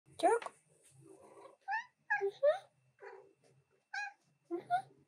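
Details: Female pet cat indoors, interrupting her owner's work at the keyboard; a person speaks briefly at the start, then several short arched meows with clear harmonics come at irregular intervals, some in quick pairs.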